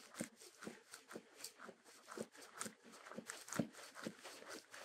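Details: Shetland Sheepdog eating. Loud crunching bites land roughly twice a second in an uneven rhythm, mixed with softer crackles between chews. The background is quiet.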